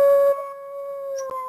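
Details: Link, a pet dog, howls during a livestream with the mic very close, giving one loud, steady sustained tone that drops slightly at first then holds level to the end.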